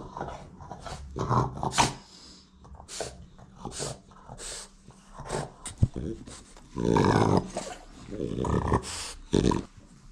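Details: A French Bulldog gives gruff, grumbling barks and growls in short bursts, demanding its owner's attention until he puts his phone away.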